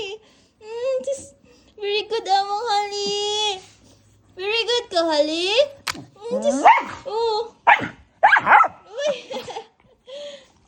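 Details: An Aspin, a Philippine native dog, 'talks' in a run of wavering, yodel-like whines and short howls that rise and fall.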